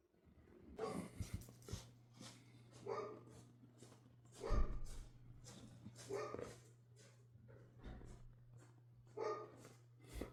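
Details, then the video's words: Indoor dog barking in short bursts about every one and a half seconds, broadband barks over a steady low hum in a small room. "dogs making noise"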